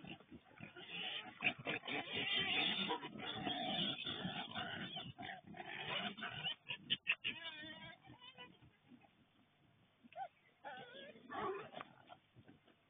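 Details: A group of wild boar that came into a garden in Kandy, Sri Lanka, on 29 September 2024 grunt and squeal in harsh, rapid bursts, with human voices in the background.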